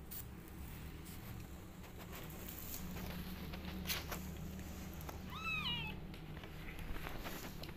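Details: Rescued orphan kittens feeding on milk from a nursing mother cat lying in an awkward position. A single thin, high mew with a quick rise and fall is heard midway, over a steady low hum and soft rustling.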